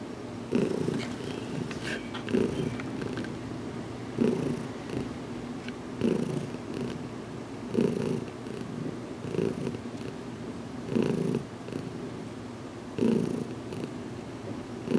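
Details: Domestic cat Heidi purring while getting a head massage in a closet, about two weeks after arriving in her new home, still growing used to being touched; steady low rumbling purr with louder surges roughly every two seconds.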